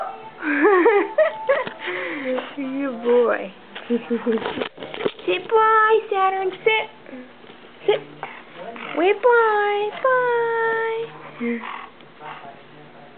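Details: Saturn, a pet dog, making his unique woo-woo noises, neither barking nor growling, indoors in a small room: wavering, tonal howl-like calls that rise and fall in pitch, several in a row, with a person's voice and laughter mixed in.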